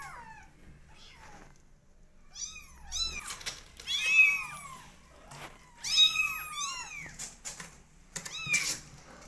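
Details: Kittens 20 days old meow loudly and insistently, starting faint then building into clustered overlapping cries from more than one kitten, with brief clicks and rustles between calls.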